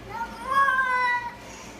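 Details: Cat giving a weird call: a single sustained, tonal meow lasting about a second, rising slightly then sliding down at the end, with a low hum behind it.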